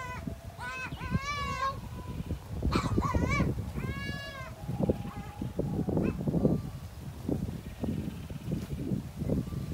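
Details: Goats mating, with repeated quavering bleats in three bursts over the first four seconds, then low rustling, thumps and handling noise.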